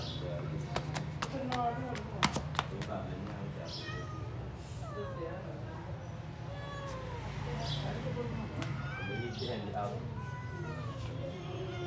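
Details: Abandoned grey kitten found in a yard on 26 January 2024 calls to get indoors, thin arching meows growing more frequent in the second half, with sharp taps early on and a constant low droning hum underneath.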